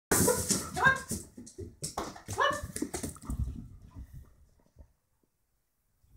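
A German Shorthaired Pointer gives a burst of short, rough barks and yelps indoors, with splashing behind.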